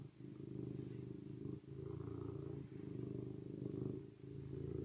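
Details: Deep continuous purring by a serval in long rumbling stretches, with only a few brief pauses, near one and a half seconds, three and a quarter seconds and just past four seconds.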